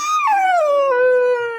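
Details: Young dog Chikku, nine months old, howls in distress after his father left without him. One drawn-out wail slides steadily downward in pitch over a second and a half, loud and clear.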